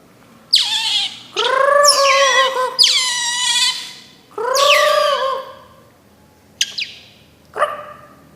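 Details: Otter (berang-berang) uttering several sharp descending chirps and longer squealing whines, followed by a quiet pause and two short high squeaks near the end.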